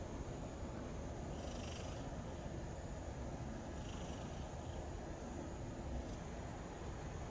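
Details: Bicolor hachiware cat, fluffy, heard up close purring: a steady, low, grainy rumble that continues throughout, with faint soft hissy rustles higher up, perhaps fur being stroked.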